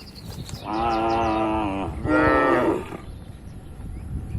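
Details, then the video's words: Tame farm cattle in a large pen: two loud back-to-back moos, the first steady and droning, the second rougher and slightly higher, then quiet pen noise. "moo bunyi sapi lucu"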